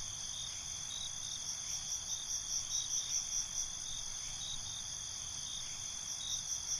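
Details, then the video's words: Nighttime crickets keep up a constant high, ringing trill, with a rhythmic run of pulsed chirps rising and fading across the middle seconds; quiet low background. "Night ambience, Cricket Conversations"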